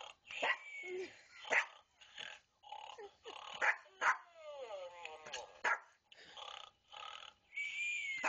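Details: Small pet dog attacking a snoring stuffed animal at home: sharp, high yaps and barks in quick irregular bursts, mixed with whiny yelps and hissing breathy noise.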